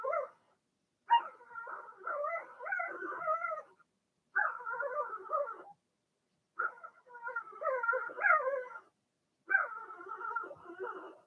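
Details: Blenheim Cavalier King Charles Spaniel puppies in their home puppy pen whine in a string of five wavering, harmonic bursts, each a few seconds long, separated by short silences.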